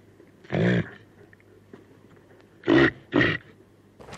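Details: Reindeer (Rangifer tarandus), grunt.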